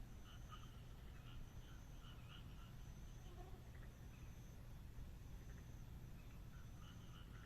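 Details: Frogs calling on a moonlit night in the Japanese countryside: short bursts of rapid, rattling croaks come in clusters, over a steady low rumble and a thin, high, dashed whine repeating every second or so.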